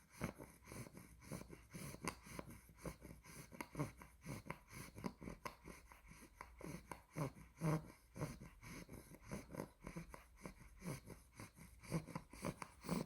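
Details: Asleep indoors, a two-month-old blue merle tri Olde English Bulldog named Spaghetti gives a long run of quiet snores, low raspy puffs about twice a second with a few louder wheezing snorts midway.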